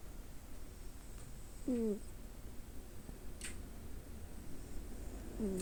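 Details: Sleeping male ginger tabby Munchkin cat, nine years old, snoring indoors on 8 June 2024: two brief, nasal, whistled snores that fall in pitch, about four seconds apart, over low, steady room rumble.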